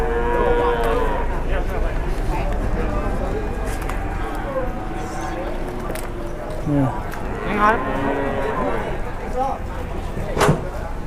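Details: Cattle crammed into an overloaded transport load, squashed tight, low repeatedly in long, deep, overlapping moos over a steady low rumble, with a man's voice speaking Indonesian in the background.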